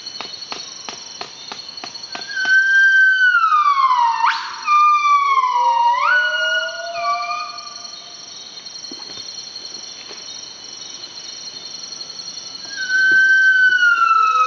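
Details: Early-morning song of a wild northern buff-cheeked gibbon, Nomascus annamensis, Veun Sai-Siem Pang Conservation Area, northeastern Cambodia. Ticking notes lead into whistles sliding downward, a sharp upward swoop, stepped falling notes and a low glide, later a high whistle again, with constant cricket hiss.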